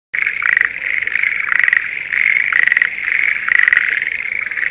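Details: Schlegel's green tree frog in breeding season in a spring rice paddy near Sendai, Japan: loud, rattling pulsed bursts repeated about once a second over a steady background chorus of other frogs.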